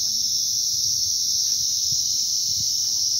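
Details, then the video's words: Crickets calling in a field at Mini Pahalgam, North Bengal: one steady, high, unbroken trill runs through the whole stretch, with only a faint low rumble underneath. "ঝিঝি পোকার ডাক শোনো, কি দারুণ"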